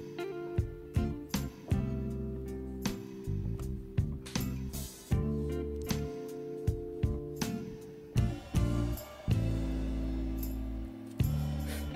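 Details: Plucked acoustic guitar music plays in a steady strummed rhythm, with no animal sound audible.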